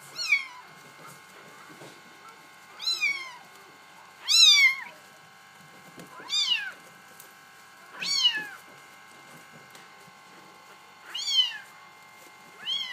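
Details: A Bengal kitten litter meowing steadily, about seven high, downward-curving mews roughly every one and a half to two seconds, some louder than others, with a constant faint hum underneath.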